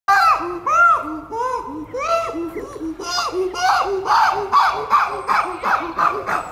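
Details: Chimpanzees at Chester Zoo: alpha male Dylan disciplines Vila, a high-ranking female who stood up to him, while Eric tries to defend her. Loud, arched, harmonic screaming calls repeat about twice per second, growing denser and harsher toward the end.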